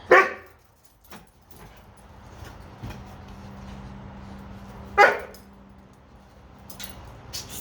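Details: Archer, a Doberman, upset because he cannot reach a bone he dropped under a dog cot, gives two loud sharp barks about five seconds apart, with quieter rustling and knocking sounds in between.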